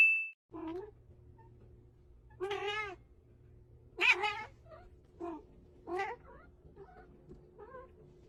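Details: Domestic cat meowing six times over about eight seconds, each call a short harmonic cry that rises then falls, some longer and wavering, a faint steady hum running underneath.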